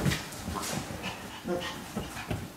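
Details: Maltese dogs, a male and two females, greeting an older brother home on army leave after four months; soft excited whimpers, panting and short squeaky notes amid indoor chatter and human voices.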